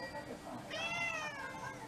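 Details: House cat, one of six mixed-breed pets, served a special Cat Day dinner in February 2023, gives a single drawn-out meow, bright and slightly falling in pitch, after a moment of soft indoor room noise.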